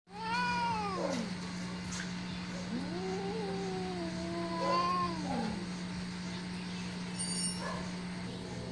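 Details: Siamese cats give long, drawn-out yowling meows that rise and fall in pitch.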